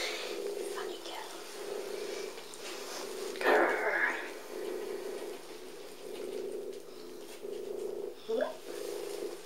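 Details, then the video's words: Sally, a small abandoned cat with patchwork fur at North London Cats Protection, playful and fond of company, purrs loudly in a steady rumble that swells and fades in alternating phases indoors, broken by a brief rustling burst and a short squeak near the end. "Sally turns it up to eleven. Prrrrrrrr"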